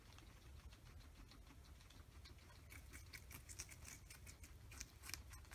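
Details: Oreo and Buttercup, a pair of guinea pigs, nibble a large cucumber indoors, hiding under fleece blankets between bites; gentle pattering crunches build into denser rapid clicks of chewing toward the end.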